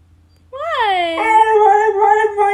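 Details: Siberian Husky complaining indoors because it wants to be outside with the other dogs: a rising then sliding howl that breaks into a steadier, wavering drawn-out tone, recorded on an iPhone XR.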